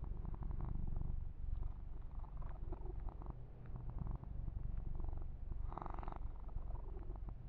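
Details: Low continuous purring from a kitten being massaged indoors, a soft throbbing rumble with a louder burst of rustling fur handling near the sixth second.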